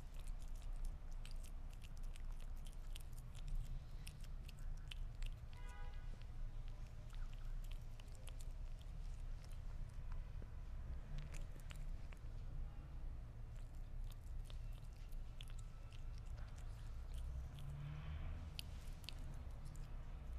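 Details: Sphynx cat eating meat indoors, with sharp wet chewing clicks and bites scattered irregularly through the recording over a steady low background hum.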